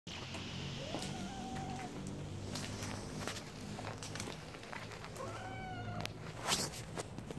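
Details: Stray calico cat outdoors in winter, giving two short, thin rising-then-level meows about four seconds apart over a steady low hum and background noise.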